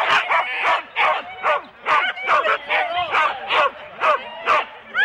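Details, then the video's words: Husky sled dogs in 4-dog teams at the start of a race, Rendlesham, January 2016, recorded on analogue cassette; sharp excited barks in steady bursts, roughly two per second, several dogs overlapping. "4 dog Husky teams - the complete start"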